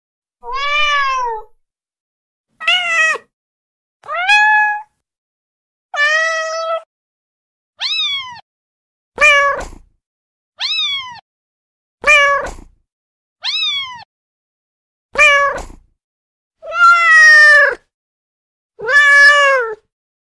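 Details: Female domestic kitten calling to draw other cats: a steady series of about twelve short meows roughly every one to two seconds, mostly rising then dropping, some bright and high-pitched, with near silence in between.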